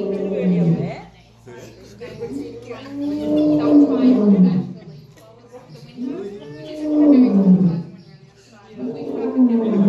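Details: A lion returns a call started by another lion, as they do in the wild, with deep, moaning roars that swell and then fall away, repeated every few seconds.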